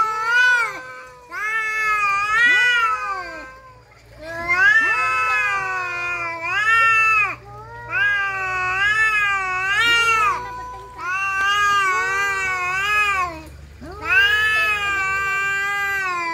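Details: Caterwauling from domestic cats in a fight: drawn-out, quavering howls rising and falling in pitch, delivered in about five bursts separated by short pauses, with overlapping voices at different pitches.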